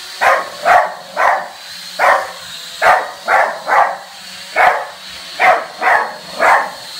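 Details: A dog barks at a drone, giving sharp barks mostly in pairs with short pauses between, a thin steady high hum running underneath.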